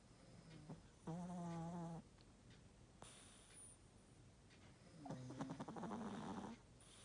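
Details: Old Chihuahua asleep and snoring through a slightly blocked nose. Two drawn-out, buzzy, humming snores, each about a second long, separated by quiet breathing, the second wavering and rougher.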